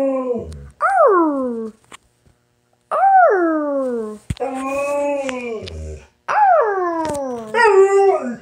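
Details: Pet dog "talking" with long, yodelling howl-like moans, each swooping up then sliding down, in four or five phrases separated by brief pauses; quiet indoor setting.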